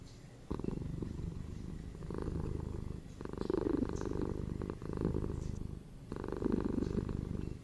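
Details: Household cat purring, a soft rumbling buzz of rapid low pulses, quieter at first, then growing into louder waves that return every one to two seconds.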